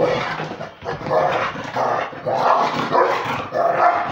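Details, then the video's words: Beagle and Basset Hound mix dog playing with a pitbull, giving rough, grumbling growl-barks in five bursts of about half a second each, each one rising and falling in strength, with brief gaps between them. "Beagle (Basset Hound mix) playing with the pitbull"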